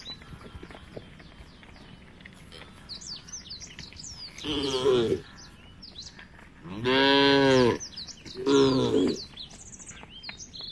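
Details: Tame cows walking as a herd toward a field at the forest edge: three loud, low harmonic moos, the middle one longest, separated by short pauses, while small birds chirp steadily throughout.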